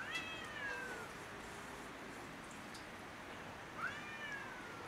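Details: Cats on house roofs in a territorial quarrel: two quieter, tonal, falling wails about four seconds apart over steady background hiss.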